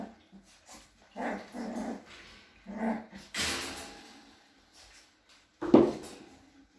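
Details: Cavalier King Charles Spaniel at a breeder's home in a small village in the Sierra de Madrid, Spain, indoors in a small room; short low growling, whining bursts, then one sharp loud sound near the end, with a person talking nearby.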